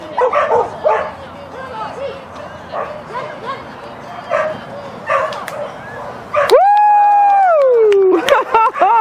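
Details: Rover, a Schapendoes, barks on a clean agility course in Stavanger on May 1, 2016, finishing sixth; rapid barks for several seconds, then a loud sustained tone dominates before a few more barks, with crowd noise.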